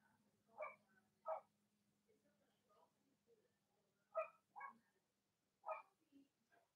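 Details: Cavalier King Charles Spaniel puppies, Robin and Myra's litters, indoors on a chilly late-October Monday morning in the US: short high yelps in pairs every second or two, softer squeaks between, a steady low hum underneath.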